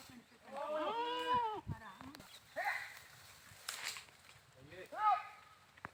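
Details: Goats bleating: one long, loud, quavering bleat that rises then falls, followed by a couple of shorter, fainter bleats and a sharp nasal one near the end, with rustling and occasional knocks between calls.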